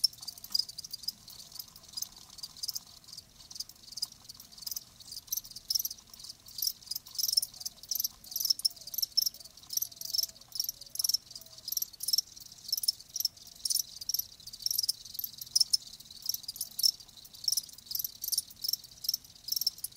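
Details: Live crickets chirping as a natural sound, high bright pulses in quick irregular bursts, several overlapping, with softer gaps between trills.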